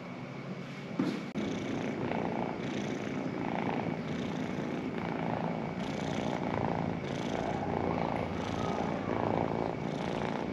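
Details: Pet cat purring in a steady low rumble, with soft breathing swells roughly every second and a brief knock near the start.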